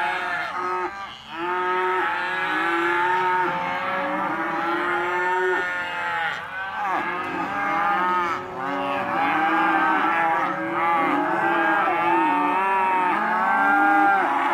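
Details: Penned Hereford and Careta calves, male and female, sold as lot 9, keep up a dense mooing chorus; many arching, drawn-out bellows overlap continuously, with brief dips in loudness between bursts.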